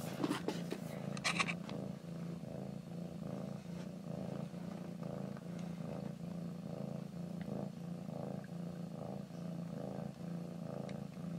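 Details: Someone's pet cat purring, a deep continuous throb rising and falling with each breath roughly once a second, with scraping rustles at the start.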